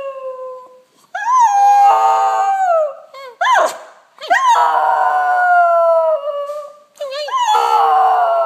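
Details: A Fox Terrier howls in long, wavering tones that rise sharply at the start of each howl, during her daily howl with her pack.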